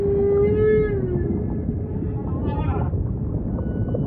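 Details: Humpback whale song in ocean ambience: a loud, drawn-out harmonic moan that swells and then slides gently downward, followed by a brief rising, buzzy upsweep, all set over steady low sea rumble.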